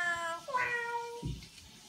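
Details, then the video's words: Bella, a friendly, vocal female Siamese cat, gives a long, drawn-out meow that steps down in pitch, ending with a soft thump. "Chatty Siamese Cat"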